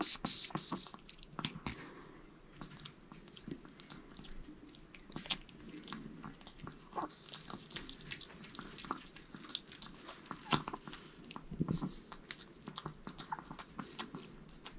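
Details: Indoors, the male Maltese Jamong works through a whole sweet potato in one go, producing continuous moist smacking and crunchy bites, dense and rhythmic throughout, with faint room background.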